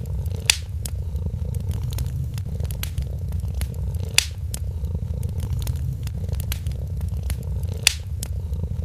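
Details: Kitten asleep by a warm holiday fireplace, its soft low purr continuous under busy crackling of the fire and three sharp pops.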